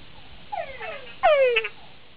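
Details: Male túngara frog of Central and South America giving its mating call, a love song that charms females but can draw frog-eating fringe-lipped bats; repeated downward-sweeping whine notes, the last louder and longer with brief chuck-like overtones.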